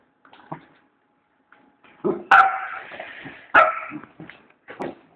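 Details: Border Collie, one of two dogs, giving two loud, ringing barks amid softer yips and muffled huffs, with quiet gaps between.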